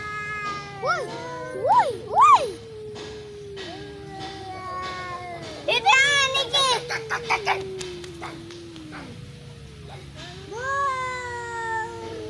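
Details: Cat fight with long, sagging yowls, a couple of sharp upward-peaking cries early on, a burst of rattling hisses and clatter in the middle, then another rising howl near the end.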